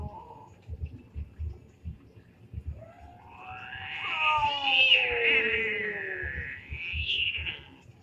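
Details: Domestic cats fighting: a long drawn-out yowl rising and wavering from about three seconds, with shifting harmonics, a second shorter yowl near seven seconds, low thumps and rustling underneath.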